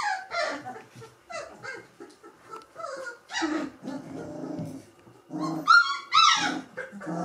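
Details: A litter of Gordon Setter puppies, three weeks old; rapid high whimpers and yelps overlapping, with a couple of sustained thin squeals toward the end.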